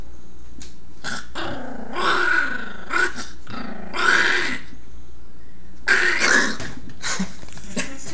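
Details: Chihuahua growl recorded on a phone: harsh, snarling rumbles broken by a few short, noisy bursts, uneven in rhythm, with constant low hum underneath.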